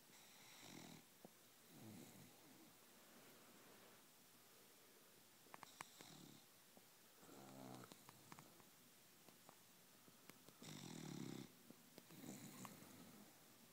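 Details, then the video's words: Blue, a blue-eyed cat, snores in its sleep: rough, breathy rasps come in uneven bursts every one to four seconds, with some louder, broader snorts toward the end and a quiet indoor background. "Snoring blue eyed "blue""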